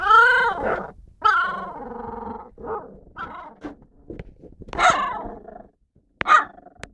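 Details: Husky puppies, four in the litter, giving whiny, harmonic yelps and whimpers, a few short sharp squeaks, and low grumbling tones between the calls, ending with a brief pause and then one more high yelp.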